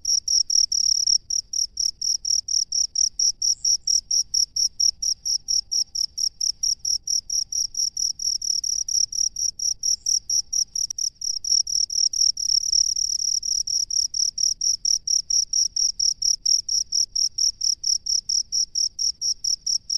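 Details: Cricket living in rice fields, calling steadily with high, pure chirps repeated about twice a second for the whole stretch, each pulse bright and evenly spaced, with a faint low rumble underneath.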